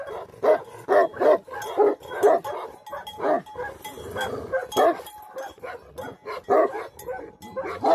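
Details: Nepalese Tibetan Mastiff, known locally as Bhote Kukur and kept to guard livestock. It barks again and again, with gruff barks that rise and fall in loudness across the eight seconds.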